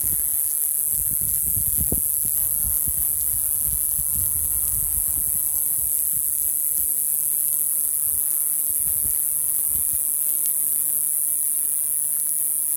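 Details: Male cicada singing to attract females on a Pacific Madrone shedding last year's bark in June at Ruch, Oregon; a steady, very high-pitched continuous whine, with low rumbling thumps and handling bumps in the first few seconds.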